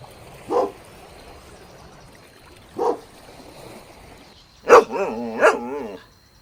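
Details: Golden Retriever puppies playing outdoors in a green meadow: two short, separate barks a couple of seconds apart, followed by a pair of wavering, whiny yelps near the end.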